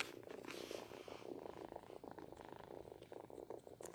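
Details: A pair of kittens purr strongly in a continuous, rapid, grainy vibration with small swells in loudness and faint handling noise in the background.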